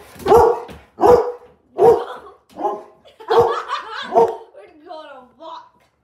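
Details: A Labrador Retriever barking powerfully, six deep booming barks at roughly one-second intervals, followed by a short whining, wavering tone at the end.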